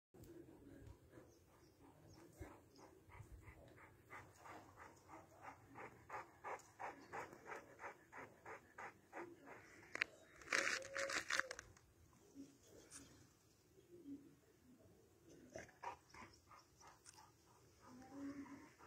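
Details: Huge Alabai, a Central Asian Shepherd dog, panting in a fast steady rhythm of about three breaths a second, with a loud rustling burst midway and a brief faint voice.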